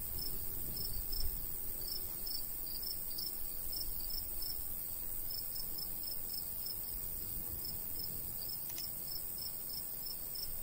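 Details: Summer countryside with crickets near a golden wheat field, bursts of quick high chirps in clusters with brief pauses, a constant shrill drone underneath and a light breeze in the low range.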